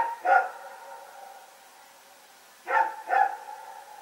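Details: Nighttime barking from Rex and his companion dog, Pyrga, 21 September 2018: one loud harmonic bark, a pause of over two seconds, then two barks in quick succession.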